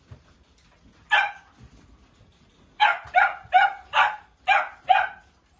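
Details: Bichon Frise puppy at a pet shop. One sharp bark, a pause, then a quick run of six loud, clipped barks roughly every 0.4 seconds in an otherwise quiet room.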